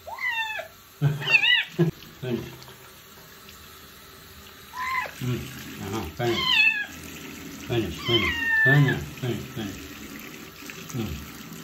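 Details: Stray street kitten during its first bath, repeated short, high, bending meows in clusters of two or three, with running water and a person's voice in the background.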